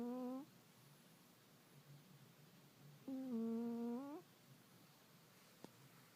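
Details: Pet cat asleep and snoring indoors, two humming, whistled breath-tones around a second each with a gentle rise at the end, separated by a few seconds of near silence and a single soft click.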